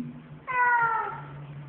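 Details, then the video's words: A very vocal male domestic cat gives a single clear meow, a tonal, harmonic cry that slides gently downward over about half a second, with quiet room hum before and after. "a very vocal cat"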